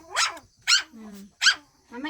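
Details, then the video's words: Pet Shih Tzus at home in daytime, during play and feeding: three bright, clipped barks spaced about every half second, with a woman speaking Tagalog softly in between. "Shihtzu cute doggies at day time: playing, eating, barking etc."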